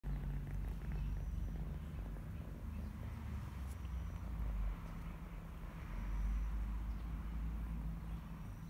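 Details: Cat purring: a steady, low continuous rumble with gentle rhythmic pulsing throughout, swelling slightly louder near the middle and end, over faint background hum.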